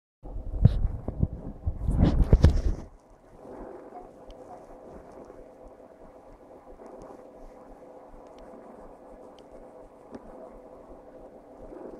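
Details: Loud rumbling microphone bumps and wind buffeting for the first three seconds, then a quiet, low background murmur with no animal voice.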